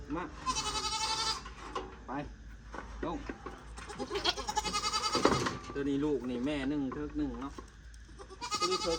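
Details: Bleating of newly purchased goats, four more added to a herd: several strained, quavering bleats come at the start, middle and end, overlapping steady human conversation throughout.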